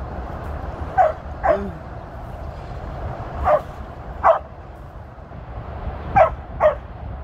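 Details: Sheep-herding run by Tir, a female Border Collie turning 13 on 23 February 2023: six short barks arrive in three spaced pairs, with faint background noise between them.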